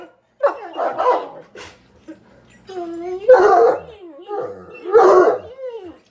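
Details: Two bloodhounds squabble over a plush toy in bursts of rough, bending, harmonic grumbles and bark-like yowls about every second or two.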